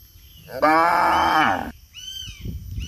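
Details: A cow chasing people who bow down at its feet gives a loud, drawn-out harmonic moo lasting about a second. Thin whistled tones follow faintly afterward.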